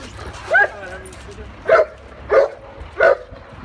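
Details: Neapolitan Mastiff barking in four short, muffled, mid-pitched woofs roughly every half to one second, with a woman speaking Italian in the background.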